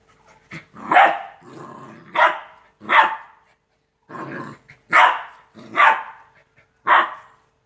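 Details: Rottweiler puppies, two months old, at play: high yapping barks roughly once a second, with a soft rumbling growl filling some of the gaps.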